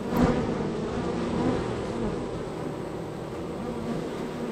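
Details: Active honey bee hive, third on the row, bees entering and leaving; a low, steady drone of many wings with a brief soft knock near the start.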